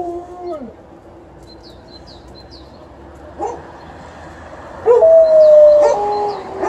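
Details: Alaskan Malamute and a Golden Retriever guarding their house against an intruder on the far side of the road; a brief falling howl at the start, quiet background with faint chirps, then a loud sustained level howl near the end.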